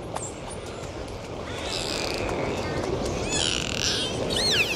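A dolphin gives high, sweeping whistles that rise and fall over a steady underwater hiss.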